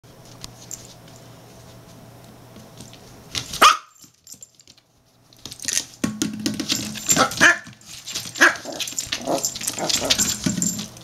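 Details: Norfolk Terrier battling a plastic drink bottle: a single sharp bark, a brief pause, then loud crinkling and crunching of plastic broken by a few short yaps.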